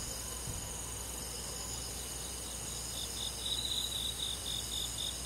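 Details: Crickets and other grass insects on a quiet summer night in a forest, a dense steady high-pitched trilling chorus in several layered bands, one strand swelling into brighter pulsed chirps after three seconds; faint low rumble beneath.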